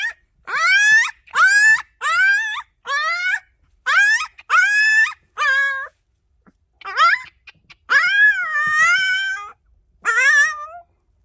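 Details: Puppies of the dogs Sunsim and Joy whimper in a series of high, harmonic whines that rise and then fall. About a dozen cries come in bursts, some drawn out and wavering, with brief silent gaps between.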